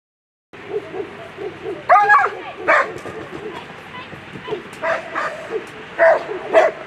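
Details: German Shepherd at a world championship agility competition, letting out scattered sharp barks amid steady crowd murmur and a loud amplified voice.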